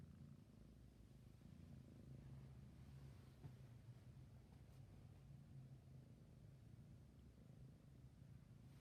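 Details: Low, steady purring from a sleepy kitten, a rumbling drone with a faint click midway, quiet throughout.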